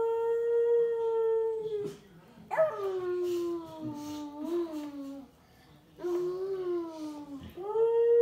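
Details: Siberian Husky Amy, aged five, howls together with a baby nearly 15 months old indoors; long level howls, then sliding, wavering drawn-out notes that drop in pitch, and a final steady howl.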